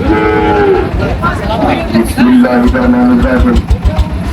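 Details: Sahiwal cattle at a busy livestock market in Barishal, Bangladesh, where a farmer is buying a bull: a long low moo in the first second, then a second steady drawn-out moo, with crowd chatter and traders bargaining around.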